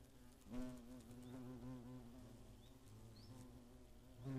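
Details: Hornets attacking in the Eifel, 2017: a continuous deep buzzing hum with pitch wobbling as insects circle near, growing louder at the start and at the close.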